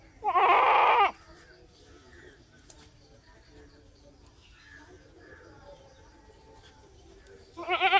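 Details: A typical Indian goat bleating: two loud, wavering, nasal bleats, one near the start lasting about a second and another beginning at the very end, separated by a long quiet stretch with faint background noise.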